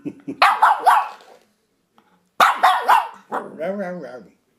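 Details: Shih Tzu puppy attacking a door stop indoors: two bursts of high, yappy barks around a short silent gap, then a drawn-out, wavering, tonal growl-whine that trails off.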